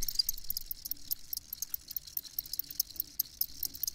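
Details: Chirping crickets give many scattered, sharp high-pitched clicks and short pulses at an uneven pace, with a faint low hum underneath.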